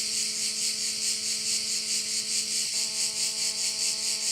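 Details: Crickets at a Korčula bay produce a loud, high, pulsing hiss at about two beats per second, above a low steady motor-like hum that briefly shifts partway through.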